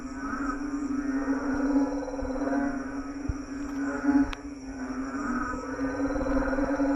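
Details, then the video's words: A dense chorus of frogs in a lawn at night gives a steady, low droning hum layered with pulsing, rattling trills. "Frog orchestra in our lawn,sleep tight ,sound of nature"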